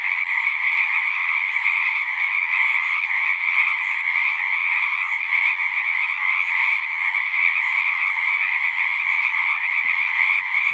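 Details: Continuous massed croaking of singing frogs, countless voices blending into an even, buzzy trill at two pitch levels, steady in loudness throughout with no gaps.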